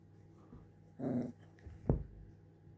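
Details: Small pet puppy indoors that wants to play, giving a short low growling grumble of about a third of a second, followed by a sharp knock in a quiet room with a steady background hum.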